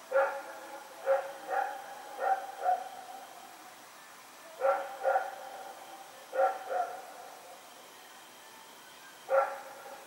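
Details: Night barking from Rex, a dog running around in the dark, recorded 21 September 2018; short barks come in irregular bursts of two to five, separated by brief pauses, over a low constant hum.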